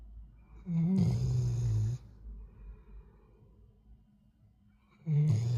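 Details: Sleeping black Labrador Retriever, worn out from hard play, snoring loudly in a humanlike way: a long, rough, low-pitched drawn-in snore, a pause of soft breathing, then the next snore starting about four seconds later.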